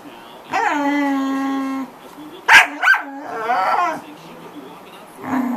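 A corgi gives a long, steady whine, then two sharp yips and a wavering, grumbling vocal.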